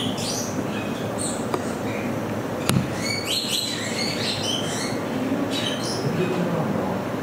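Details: Degu at Saitama Children's Zoo, Japan, filmed 15 September 2020: clusters of short, high chirps and brief squeaky sweeps, some rising, others falling, scattered through the recording over a steady broadband hiss, with a sharp click midway.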